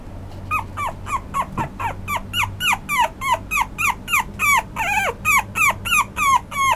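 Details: Apricot male Toy Poodle puppy indoors giving a rapid series of short, high, downward-sliding whines, about three per second and growing louder, with a faint low hum in the background.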